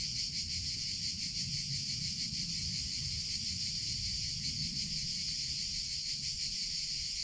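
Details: Cicadas singing in summer, a dense, continuous high buzz with a rapid pulsing shimmer, steady throughout, over faint low rumble in the background.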